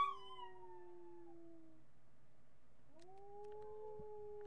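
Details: Miniature pinscher Marty howls on a July 8, 2011 webcam recording: a long falling note fades out, and after a short gap a second steady howl rises and holds.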